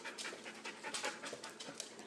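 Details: Husky pup wrestling playfully with another dog indoors: quick breathy panting bursts and soft huffs in a rapid uneven run, with a person's voice nearby.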